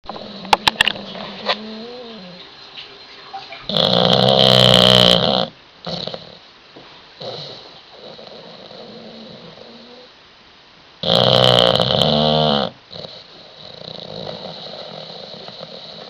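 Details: Sleeping bulldog snoring, two loud, rough, drawn-out snorts roughly seven seconds apart, each lasting about a second and a half, with quieter wheezy breathing and a short whine-like tone between them.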